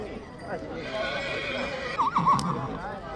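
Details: Stallion at Breaza, Bistrița, recorded in 2022, gives a short, quavering whinny with wavering harmonics near the end, following a steady hum of people talking close by.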